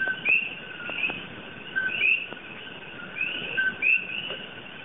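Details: Common coquí frogs, invasive in Hawai'i, call at night in the tropical dark: a sharp two-note co-qui, a flat whistle then a higher upward chirp, repeated.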